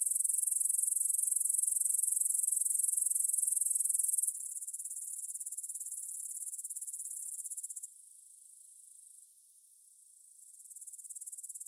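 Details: Grasshoppers stridulating in a meadow near the Svensky monastery field in Bryansk, Russia, at 9pm on 6 September 2020, recorded in stereo on a Tascam DR-44WL: a dense, very high, rapidly pulsing chirr, loud at first, then quieter, dipping and swelling again.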